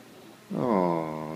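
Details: German Shepherd living with a newborn baby and guarding its family: one drawn-out tonal whine lasting almost a second, starting with a quick upward slide and then holding steady with rich harmonics, in a quiet indoor room.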